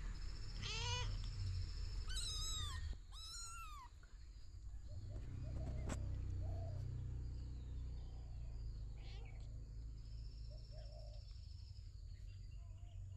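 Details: Kitten meowing, one of three kittens living with their caring mother cat in a storeroom of a house: three quick high, arched mews in the first few seconds, then quieter with faint mews and low background rumble.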